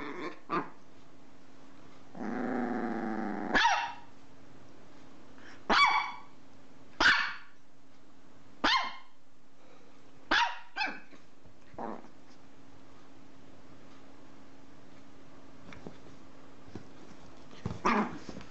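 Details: Dog letting out a drawn whining growl, then a run of sharp, short single barks roughly every one to two seconds, thinning out toward the end, with a steady low hum behind.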